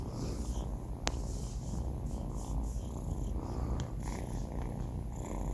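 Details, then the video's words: Banh Mi, four months old and male, snoring asleep: an unbroken low rumble, slightly grainy, with one sharp click early on and a fainter tick near the four-second point. "snoring cat | sleeping cat"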